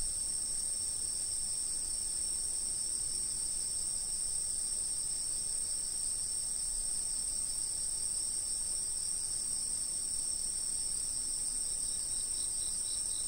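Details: Steady insect chorus recorded by a fixed camera, several unbroken high-pitched trills layered together, with a faint pulsing chirp series appearing near the end.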